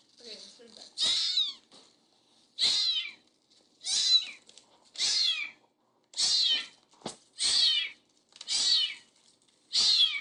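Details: Baby kittens meowing: eight shrill, high-pitched mews repeated about every second and a quarter, each a short rising-falling cry, with near silence between calls.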